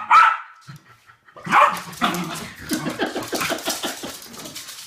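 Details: Two West Highland White Terriers playing a game; two separate sharp barks, then a long rough run of rapid yapping and growly scuffling noise that fades toward the end.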